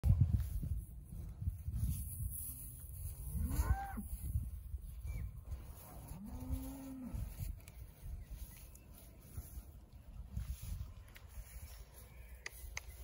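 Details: Angus-Hereford cross heifers, pregnancy tested in calf, at Magpie Park, giving two low moos, the first short and rising, the second a longer steady drawn-out call, over heavy wind rumble.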